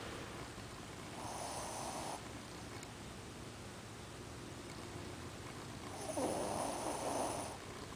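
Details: Sleeping Shih Tzu named Ozzy, eyes open, snores twice: a soft rasping inhale near the start, then a longer, louder grating snore about five seconds later, in a quiet room.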